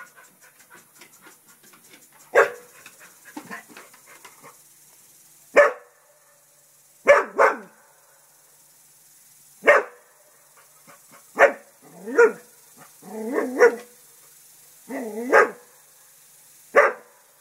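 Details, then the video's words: Barks and low growly grumbles from Festus the English Springer Spaniel confronting a turtle he sees as an intruder at the house, coming in irregular bursts, some doubled and some drawn out, with soft panting between. "Festus barking and growling at turtle"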